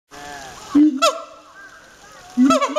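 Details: A siamang at Chiba Zoological Park barks vigorously, giving loud, honking barks that rise and break, with a long wavering note between them.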